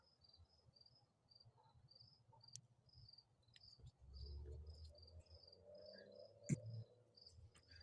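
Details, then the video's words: Crickets chirp steadily at dusk in a neighbourhood with wild peacocks and geese, high thin pulses a couple each second, over low rumbling handling noise with a few sharp clicks. "You hear the crickets?"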